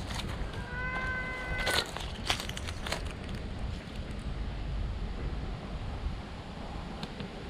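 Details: Stray cat found in tree shade, calling loudly with joy at the sight of a person: one clear, level, drawn-out meow early on, followed by shuffling, light thumps and continuous outdoor noise.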